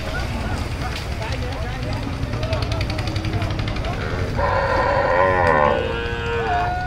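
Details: A cow being unloaded at a cattle market around Eid qurbani in Bangladesh gives a loud, drawn-out moo over a steady low rumble of engines and background voices.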